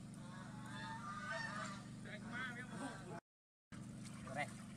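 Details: Baby monkey crying as it resists a bath: a few wavering, quavering wails over low household hum and a person talking, then a short silent gap and a faint squeal.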